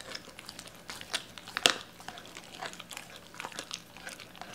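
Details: Doberman named Cola chewing raw chicken indoors, given pieces torn apart at the joints; dense crackly crunching and tearing, with one sharp loud crunch near the middle.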